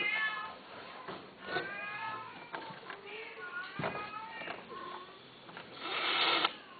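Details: During mating between a male and female Himalayan Persian cat, softer wavering meows and short rising cries come over a hissy indoor background, ending in a brief harsh burst.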